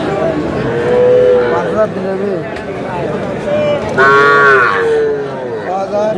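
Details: Cattle at a crowded livestock market in Chattogram, Bangladesh, where Sahiwal bull calves are being bought; drawn-out, moaning moos rise and fall twice over steady crowd chatter and haggling voices.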